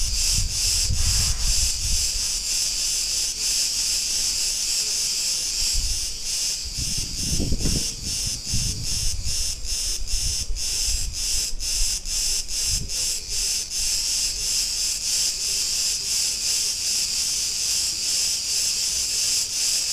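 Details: Cretan cicadas singing in a street in Ierapetra, Crete, Greece: a dense, continuous hissing buzz with a rapid pulsing throb, over low rumbles of passing street noise.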